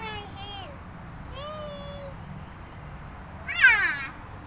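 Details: Cat meowing with a rising then falling, drawn-out cry near the end, while a child and an adult talk softly earlier.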